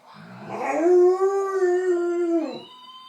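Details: A 10-month-old fox red Labrador Retriever puppy talks back to an animal-sound toy with one long, steady, mid-pitched howl lasting about two seconds. The howl swells in from a rough start and then drops off abruptly at the end.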